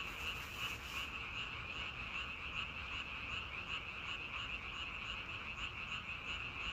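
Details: Frogs in a dense chorus, steady high-pitched trilling croaks pulsing roughly three times a second over a constant low background hiss, with no other clear sounds.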